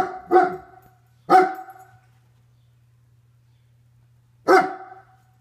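A German Shepherd gives three deep, loud barks, two close together and then one after a pause.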